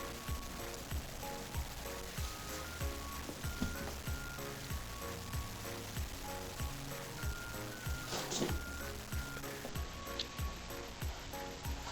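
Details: Steady background music with a beat and tinkling melody plays throughout, with a brief noisy burst near eight seconds and no animal voice heard.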